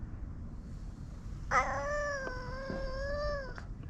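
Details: A single long drawn-out cat meow, steady and slightly falling at the end, lasting about two seconds over low background rumble.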